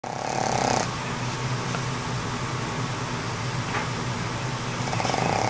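A Boston Terrier snores with a low, rattling buzz that runs almost without a break.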